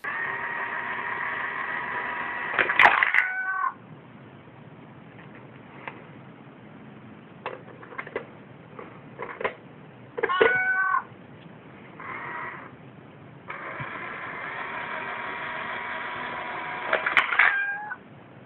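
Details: Domestic cat meowing: three loud, drawn-out meows with rich harmonics and a downward bend at the end, near the start, middle and close, separated by quiet clicks and soft taps, with a steady hum under the last meow.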